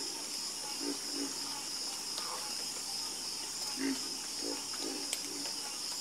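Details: Frogs croaking at night, scattered low knocking croaks, some in quick pairs, spaced by pauses, over a constant shrill insect drone.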